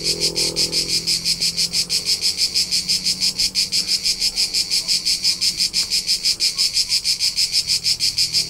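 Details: Crickets recorded in rural Tuscany, central Italy, during summer keep up a regular shrill pulsing, about three chirps a second, with a faint low drone in the background.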